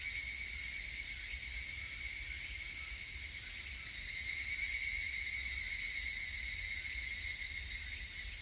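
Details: Higurashi cicada recorded on 19 August 2018: a steady, shrill, high-pitched droning chorus with several layered tonal bands that runs unbroken through the whole stretch, swelling slightly in loudness midway, with no other clear sounds.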